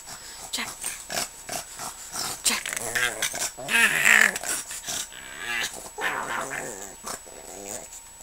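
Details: Jack, a pug, grumbling as if telling his owner to leave him alone: a run of low, wheezy, growly moans with wavering pitch, rising into a louder drawn-out groan midway, with human voices mixed in.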